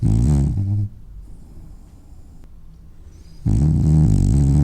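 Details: Sleeping, dreaming French bulldog: a deep, throaty rumbling snore that stops abruptly, nearly three seconds of near silence, then another loud low rattling snore starts.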